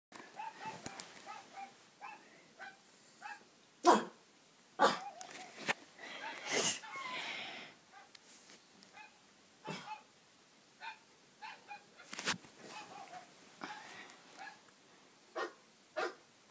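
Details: Pug barking indoors in response to barking noises: short sharp barks at irregular intervals, a few louder bursts near the middle and end, with fainter yips and sounds in between in a small room.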